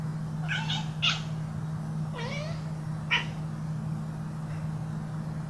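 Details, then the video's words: Pet cat at play, uttering a handful of short harmonic meows and chirps, including one drawn-out call that rises at its end, spaced irregularly about a second apart over a constant low hum. "Funny cat noises"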